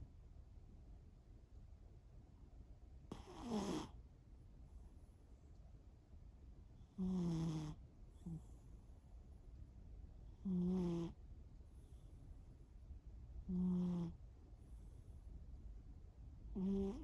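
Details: Asleep, the cat Shimao snores in repeated short buzzy pulses roughly every three seconds, some sliding downward in pitch, with faint breaths between and a constant low rumble underneath.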